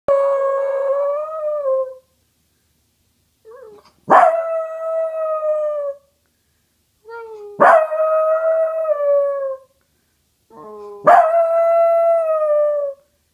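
A basenji mix baroos, giving yodel-like, slightly falling tones of about two seconds, repeated every few seconds.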